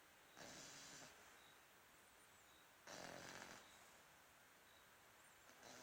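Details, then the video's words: Snoring French Bulldog: two drawn-out, harsh rasping snores, each close to a second long, separated by quiet breathing pauses. "Bulldog Francês roncando!!!"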